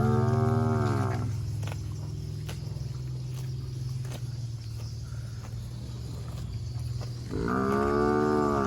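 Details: A fat cow feeding on grass among shrubs lets out a deep moo at the start and another at the end, with a low droning hum filling the gap between.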